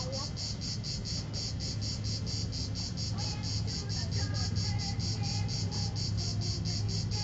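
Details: The last cicada of 2010 sings a high, buzzy song in steady rapid pulses over a low background rumble, at 16:04 on 4 September 2010 in Vello, province of Brescia, Italy.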